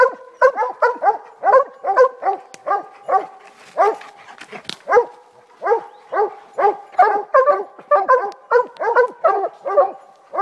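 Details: Walker hounds treeing, a dense, continuous stream of rapid ringing bawls from more than one dog, overlapping voices repeated more than twice per second with hardly any gaps.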